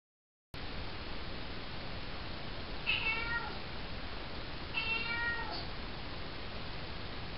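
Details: Four-month-old female calico kitten at night in a bathroom, making a greeting that sounds like "hello"; two faint, harmonic meows about two seconds apart over a steady background hiss.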